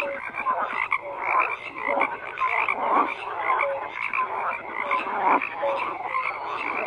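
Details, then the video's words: Many frogs croak together in a steady chorus, rough rattling calls mixed with brief clear piping notes repeating every second or so. "FROGS CROAKING"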